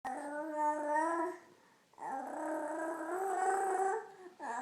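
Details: Pet dog making funny noises: a drawn-out, wavering moan rich in overtones lasting about a second and a half, a short pause, then a longer groan of about two seconds, and the start of another at the end.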